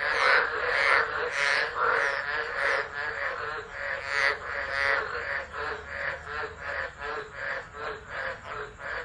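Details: A chorus of tropical frogs calling through a tropical low at Driver, Northern Territory, Australia, on 13 December 2013, captured by a phone set down and left: rapid, rhythmic croaking pulses stacked over one another, steady and unbroken.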